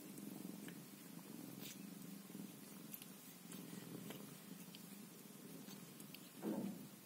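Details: Indoors, a Scottish Fold mother cat looks after her kittens while a deep, even purr runs on, and a brief louder thump or rustle comes near the end.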